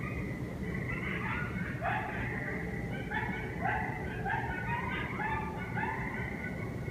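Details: A group of coyotes calls together in a dense chorus. Overlapping rising and falling wavering howls mix with short yips, all continuing throughout against a steady background hiss.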